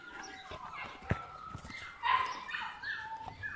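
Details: Puppies of My Black Butterfly and Bayleys giving thin, high whines and squeaks that slide up and down, with a louder cluster of cries midway and a sharp tap near the start.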